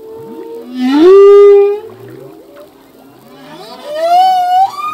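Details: Singing male humpback whale underwater: a loud swooping cry rising into a held high note, a pause of soft low murmurs, then a second long rising wail with stacked harmonics ending in an upward flick.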